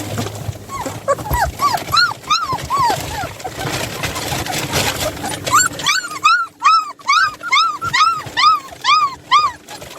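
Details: Puppies on day 25 of a seven-puppy series, two of them escaping their play area: high, arched whining yips repeat rapidly, about two per second, clearest in the last four seconds, over low rumbling background noise early on.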